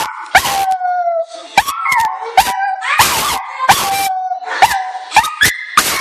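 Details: Chi-chi the Chihuahua answering an owner's "I love you" indoors with drawn-out, sliding yowls and yips, pitch wobbling and stepping up near the end, punctuated by loud clipped broadband bursts between calls.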